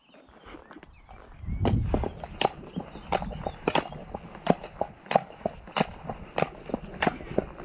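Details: Walking Shire horse Damon, Ostsee Shires, 2 May trip to pick up a new boarder from Falkendorf: low rumble, then crisp rhythmic hoof clops settling to roughly ninety per minute.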